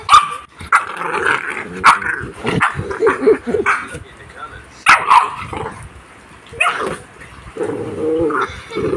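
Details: Aspin Labrador and American Bully puppies at play, giving a busy mix of growls, whining yelps and sharp barks in irregular bursts, with a person's voice heard among them.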